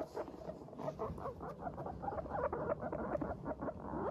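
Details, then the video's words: Pet Teddy and Abyssinian guinea pigs in a cheerful mood chatter while trotting about, a dense run of soft, quick low putt-putt notes overlapping with light pattering footsteps throughout. "軽快に歩く♪上機嫌なモルたちのお喋り Guinea pigs chatting"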